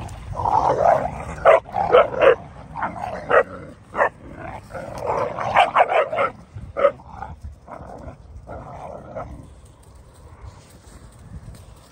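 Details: Dogo Argentino puppies, three months old, sorting out dominance between them: a busy run of snarling growls and clipped barks, dense in the first half, then fading to quieter grumbles.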